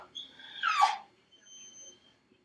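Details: Felix, a dog shut in his crate while left home alone, lets out one loud rising-then-falling cry or howl, followed by a faint thin whine trailing off in a quiet room.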